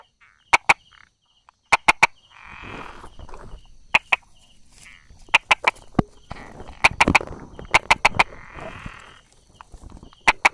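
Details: Brauer's tree frog calling from rock crevices beside small grass on 22 July 2016, mid-morning; crisp clicks in pairs and triplets at irregular intervals, with low rustling and a thin high buzzing background.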